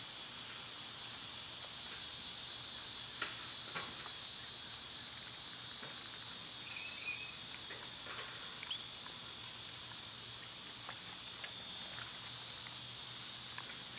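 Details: An even, shrill cicada drone fills a summer day, with faint bird chirps and soft clicks scattered above it.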